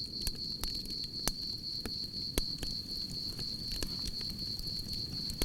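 A cricket trills steadily and high-pitched over the crackle and low roar of a campfire.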